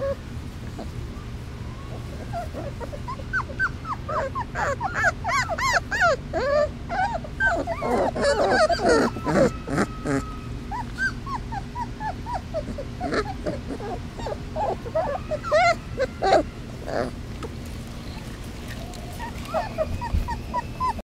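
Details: Three-week-old basset hound puppies on their first time outdoors, every one crying for their mother: a dense chorus of short, rising-and-falling whimpers and yips, overlapping constantly and peaking in a busy middle stretch, with a low steady hum underneath.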